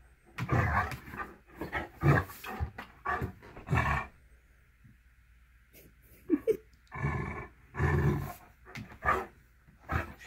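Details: Great Dane named Brodie indoors at home, playing rough with a little kitty cat; deep, gruff growls and rough bursts come in uneven clusters over ten seconds, with people talking between them.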